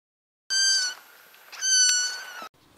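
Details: Scottish Fold cat, one of five in a household, indoors while a Christmas tree is decorated; two clear high meows, the first short and bright, the second longer and slightly falling, with a soft click at the end.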